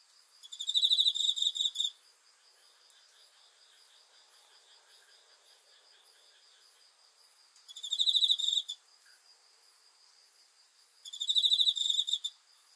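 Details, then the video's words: Cricket chirps at night as a soothing sleep sound: three separate bursts of fast high pulsed chirping, each a second or so long, spaced by long pauses holding a steady faint insect drone. "귀뚜라미 소리"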